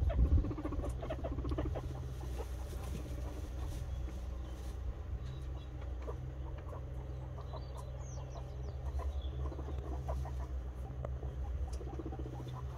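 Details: Guinea pig boar being introduced to a white sow for the first time; a low, rapidly pulsing rumble runs steadily through the clip, with faint scattered squeaks and a constant low background hum.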